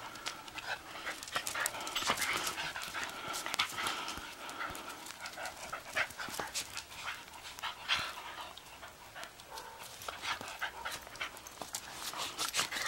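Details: Several Shetland Sheepdogs playing in late April snow, rapid airy panting continuing throughout, mixed with brief sharp snaps and a few soft whines.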